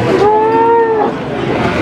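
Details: Cattle at the Pahing cattle market in Warujayeng, 28 November 2019: a single sustained, fairly high moo lasting about one second, steady and slightly arching in pitch, over a low murmur of market background noise.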